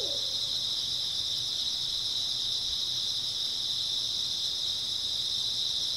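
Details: Grass insects chirping on an early autumn night, a continuous high-pitched buzzing drone with almost nothing else, apart from one brief owl note at the very start.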